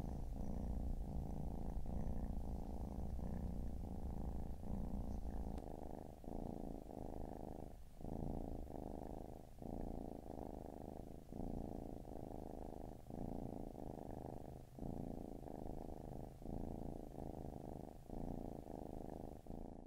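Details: Four Siamese kittens with their mother, resting together on a Saturday afternoon; a strong, close purr hums low and steady, rising and falling with regular breaths about every second, gradually growing a little softer.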